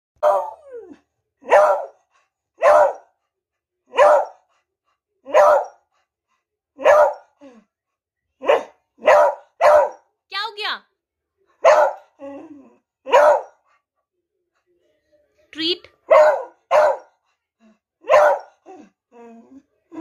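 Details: A furious, aggressive beagle barks in short, sharp, harsh bursts, repeated roughly once a second.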